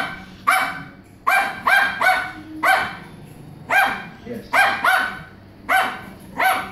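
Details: Small dog having a big time playing with his toy in the morning; sharp yappy barks in quick pairs and singles, roughly every half second to second, with a person talking softly in the background.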